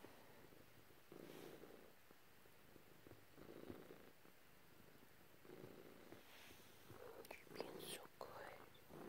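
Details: Domestic cat purring softly while being petted by its owner indoors, with two cats present; low rumbling bursts swell and fade in steady breathing cycles, roughly every two seconds, with faint rustling and handling noises near the end.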